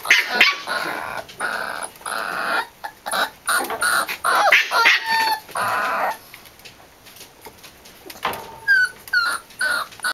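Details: Corgi puppy siblings from Emma's litter at play: harsh growly bursts and sharp yips give way after a brief lull to a run of high, rising whimpers and squeaks.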